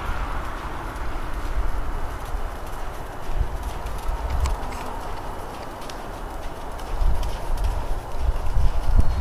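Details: APHA/Thoroughbred gelding foaled in 2005, ridden at the jog/trot after 10-15 minutes of earlier riding; soft, muffled hoof thuds fall roughly two to three per second in an uneven rhythm over a steady low rumble.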